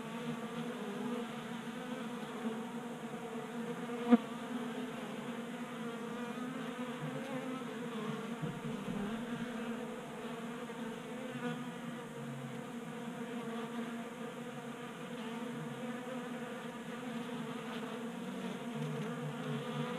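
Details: Swarm of honey bees drinking from a 3D-printed feeder on a workbench in Colorado, January, unseasonably warm at 60 degrees; steady whirring drone of many wings, one sharp click early on, the hum dipping briefly midway.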